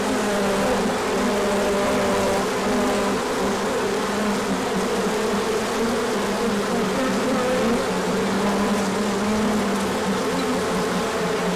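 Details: Many honeybees on a large orientation flight as the sun comes out after colder days, with pollen coming in, 24 March 2024; dense steady swarm buzzing, many overlapping humming tones drifting around a low pitch, continuous throughout.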